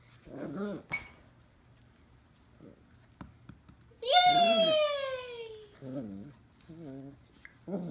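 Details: Lil Mac, a two-month-old Scottish Terrier puppy, playing indoors with a tennis ball for the first time, gives one drawn-out, falling whine lasting over a second, amid soft human talking before and after.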